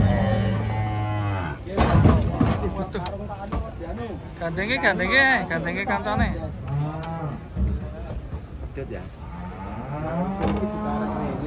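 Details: Several moos from a group of giant cattle coming off a truck at Pasar Jelok market, low and sustained at the start and end, interrupted by loud bangs, clatter and shouting people in the middle.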